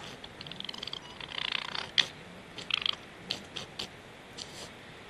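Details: A golden jackal sniffs close to a camera at night in Estonia, 11 November 2017 around 21:04, making short breathy snuffling bursts.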